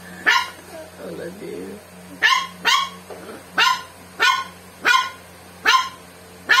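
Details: Pet dog with swimmer syndrome barking at a cola it dislikes; sharp, high barks repeated roughly every 0.7 seconds, about eight in a row, with a person's brief murmuring between early barks.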